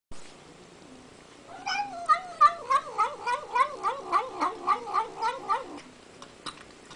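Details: Little female domestic kitty eating sour cream, giving a run of about fourteen rapid wavering murmured calls, like "nom nom nom", repeated several times a second for about four seconds, indoors and otherwise quiet.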